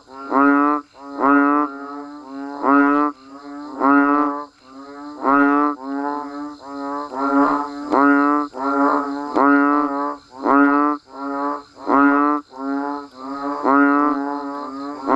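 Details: Frogs and banded bullfrogs calling in the rain around Thai rice fields: a steady run of about sixteen short, bleating, nasal honks, roughly one per second, some overlapping, with a constant low drone beneath.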